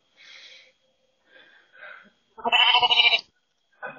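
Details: Lamb answering a person through a ring doorbell camera: a few faint, soft murmurs, then one loud, quavering bleat lasting almost a second, with another bleat starting just at the end.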